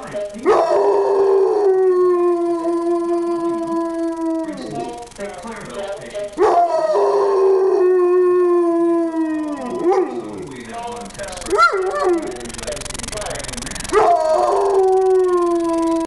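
A Weimaraner gives long, wavering howls that slide and sustain in a rich harmonic tone.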